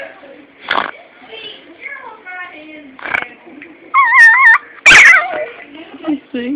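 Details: A pet dog making strange vocal sounds: a run of whiny, wavering, warbling tones and short squeaky yips, broken by a few sharp, noisy bursts, with quiet pauses between.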